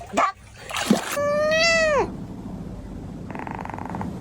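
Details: Cat giving one long drawn-out meow, steady then falling at the end, after short sharp sounds; faint buzzing hum in the background afterward.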